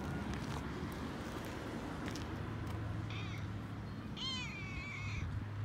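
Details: Male Toyger cat on a walk, excited and purring. Heavy low rumbling handling noise dominates, with a faint meow partway through and a clearer descending, wavering meow near the end.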